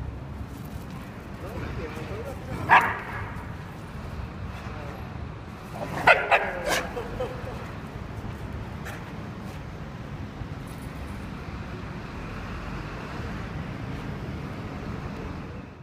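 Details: An Akita gives sharp barks and yips over a low rumbling growl during play-fighting.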